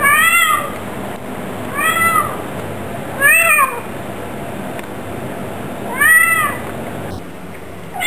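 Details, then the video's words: Household Bengal cat talking: four separate arched, nasal meows spaced irregularly about one to three seconds apart, each a short rise-and-fall wail. The background is quiet. "Bengals love to talk"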